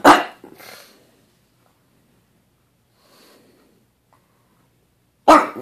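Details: Lenny the pug, frustrated when his ball goes unthrown, lets out a sharp bark followed by a softer huff, then a long quiet stretch before a single loud bark at the end.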